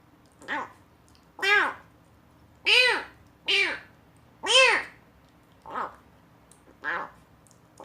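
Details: Box-abandoned rescued kitten eating weaning food for its first time and making odd noises as if finding it delicious; seven rising-falling meows roughly every second, some loud, a few softer and shorter, in a quiet room.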